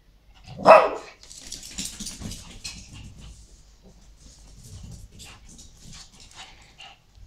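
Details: Shih Tzu playing with its favourite toy indoors; one sharp bark near the start, followed by faint rustling, movement and scattered soft noises in a small room.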